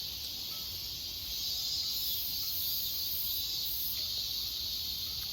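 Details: Many cicadas around a house garden on a cooler, overcast day with rain threatening fill the air with a steady, shrill, high-pitched buzzing drone that never pauses.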